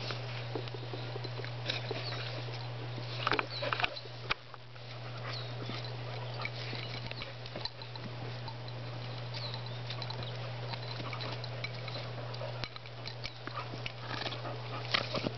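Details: Two dogs, Spruce and Griffin, wrestling, giving rough broadband growls in irregular bursts with scuffling thumps, over a steady low hum throughout.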